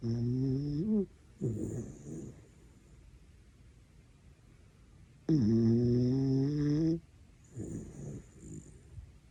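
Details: Dachshund dog snoring loudly enough to wake someone, in long droning harmonic breaths with a slight rising whine, about a second each, separated by quieter gaps, plus faint high whistly tones at intervals.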